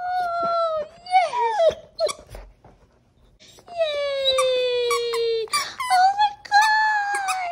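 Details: Golden Retriever Baymax whining in excitement over a new squeaky toy: long, sustained high whines that slowly fall in pitch, broken by short sharp yelps, with a brief near-silent pause midway.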